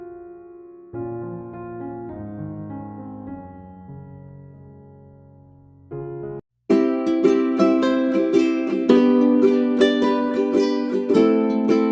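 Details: Soft keyboard chords give way to lively strummed ukulele and piano music in a steady rhythm; only instruments, no animal calls.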